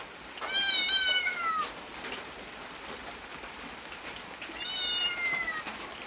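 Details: Two high, thin meows from a cat wanting food, each drawn out and falling in pitch, separated by about three seconds of hissy background noise.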